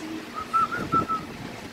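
A short, whistly two-syllable vocalization from an Alaskan Malamute, shaped like a sung 'hel-lo' as a greeting. The tones are smooth and fairly high, with a faint murmur beneath.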